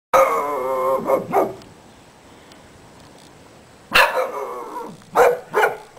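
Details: A neighbour's domestic dog barking: a sharp, harmonic bark followed by two quicker ones, a pause of about two seconds, then another group of three barks.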